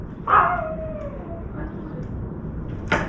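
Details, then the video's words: Puppy barking while a crow dips a chunk of meat into a water bowl; one bark trailing into a falling whine, then a sharp click-like sound near the end. "강아지 짓는 소리"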